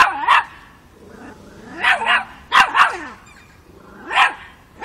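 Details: Miniature Pinscher puppy Chocolina, aged five months, barking at a mature cat in Kiev, Ukraine, in October 2013; sharp yaps, single and paired, spaced a second or two apart, with faint whines between.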